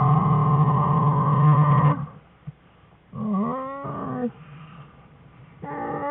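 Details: American black bear cubs at play in a den with their mother, February 21, 2013; a steady loud hum-like cry stops abruptly, followed by a wavering, quivering wail and the start of another cry.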